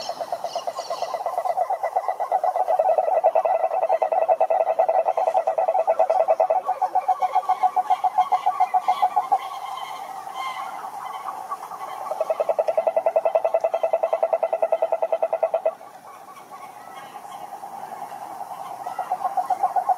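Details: Croaking toads in long rapid pulsed trills that stop and restart, several voices overlapping at slightly different pitches, one trill dropping out near the end; males call to draw in females.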